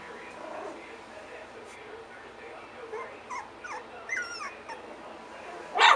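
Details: Litter of Miniature Schnauzer puppies, three weeks old, playing and barking at each other; thin rising and falling whines and squeaky yelps come scattered and soft, then a sudden loud rustling burst at the close.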